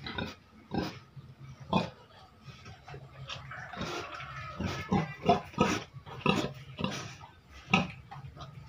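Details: Pigs kept in a cage and fed for income give rough, noisy grunts. The grunts come in bursts about every second, irregularly spaced, over a constant low-pitched hum.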